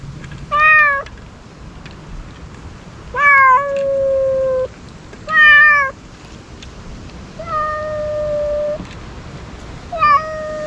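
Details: Stray ear-tipped cats, wary but hungry, crying repeatedly while being fed outdoors. Five meows come every two to three seconds, some short and falling, others drawn out and level, over a quiet background.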